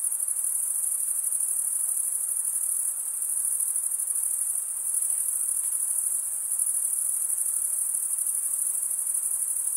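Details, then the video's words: Crickets, males stridulating by rubbing one wing's edge across the toothed vein of the other, produce a steady, high, shrill trill that never pauses, with faint softer hiss in the mid range beneath it. "Most relaxing cricket sound for 8 hours"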